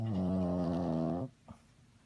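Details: Sleeping dog snoring: one long, low, droning rasp lasting just over a second with a steady buzzing tone, then near silence and a faint short breath.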